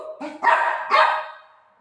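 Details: A pet Shih Tzu playing with its owner gives two short, harsh, bright barks about half a second apart, the second trailing off slowly into quiet; no other clear sounds.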